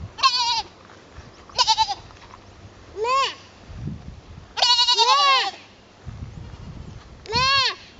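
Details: Goat bleating while trying to fit in the herd: five nasal, quavering bleats, some short and clipped, others longer with an arched pitch, spaced one to two seconds apart, with brief low murmuring between calls.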